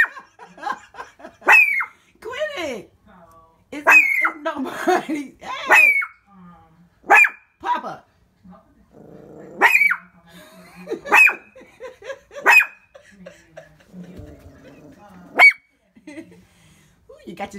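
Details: Pet Shih Tzu barking at the window after three minutes of continuous barking: sharp, high yapping barks in irregular bursts, often two in quick succession, with a person talking and soft laughter between them.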